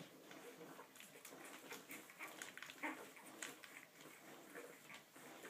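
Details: One-week-old Olde English Bulldogge puppies indoors give faint, brief high squeaks and whimpers scattered through the recording, over soft rustling and a quiet human voice.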